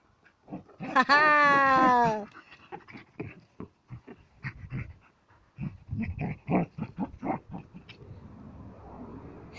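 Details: Border Collie Sam, playing with a ball, lets out one loud, drawn-out nasal whine that dips slightly in pitch, followed by a person's speech.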